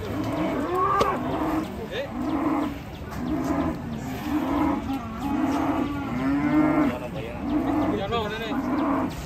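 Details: Cattle described as raging and unruly while coming down from a truck; short, harmonic moos follow one another about once a second, some rising and falling, over steady background noise.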